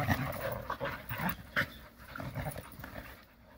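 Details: Jindo dogs playing happily together in the Korean countryside, a quick run of breathy panting and scuffling huffs with short low grunts scattered through the few seconds.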